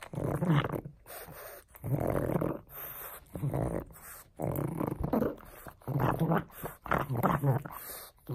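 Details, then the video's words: Pug named Frank at play with a bone, growling in repeated low rumbling bursts of about a second each, separated by short gaps, with snuffling and grunting textures. "Bone buster Pug!"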